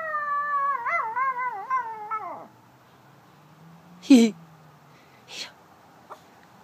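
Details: Female toy poodle singing along to a fire truck siren: a warbling howl that wobbles for two seconds and then drops away, followed by quiet, a few short voice sounds and faint clicks.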